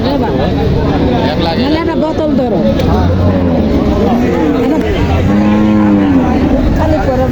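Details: Friesian cow with her calf at the Notunhat cattle market in Joypurhat, Bangladesh; a few drawn-out, low moos with steady harmonics, the longest near the end, half-buried under loud crowd talk and passing traffic.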